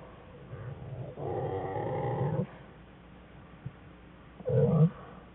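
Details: American black bear cubs, two of them, whining inside their den with their mother on January 5, 2013; a long, buzzing, harmonic whine of just over a second, then a short burst near the end, in a quiet den with a faint background hum.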